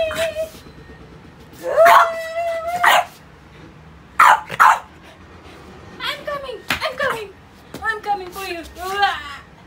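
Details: French Bulldog Pogi playing with rubber toys indoors: short broad bark-like bursts, then a run of high, whiny yips that bend downward, several in quick succession, with a person talking.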